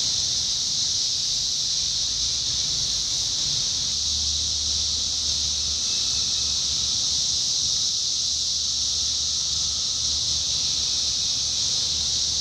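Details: Summer 2021 chorus of 17-year cicadas in Indiana: continuous shrill high buzzing wall of sound, steady from start to end, with a faint lower whining tone drifting in and a low rumble midway.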